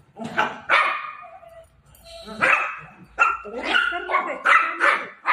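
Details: Golden Retriever puppy named Milo barking while playing with mom: sharp, bright barks in irregular bursts, some with short tonal tails, with a pause in the middle.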